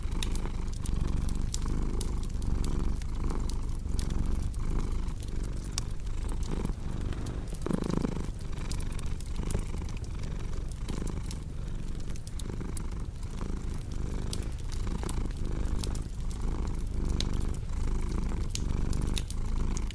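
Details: Cat purr for relaxation and sleep: a continuous deep vibrating rumble that pulses in a regular rhythm, accompanied throughout by sharp crackles and snaps from a fireplace indoors.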